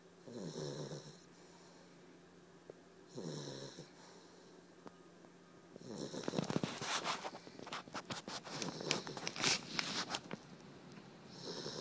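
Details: Dexter, a sleeping puppy, snoring indoors: two breathy, rasping snores about three seconds apart, then a stretch of clicking and rustling noises that cover the breathing.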